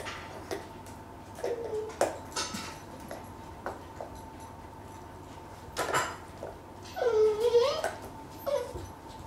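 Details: Dachshund giving a few soft, brief whimpers and then a longer wavering whine that dips and rises, against a faint steady hum and scattered clicks and knocks.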